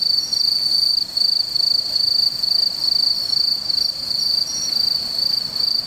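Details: A bell cricket recorded on 17 September 2015 sings a clear, high, ringing trill in bursts of about a second, almost without a break.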